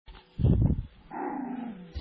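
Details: Seven-week-old poodle puppies: a short, low rumbling growl, then a longer, lower drawn-out grumble that slowly falls in pitch.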